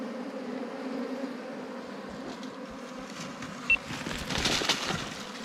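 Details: Wild ground bees during a honey hunt. A steady low droning hum with faint higher overtones runs throughout, with men talking over it and one brief high tick midway.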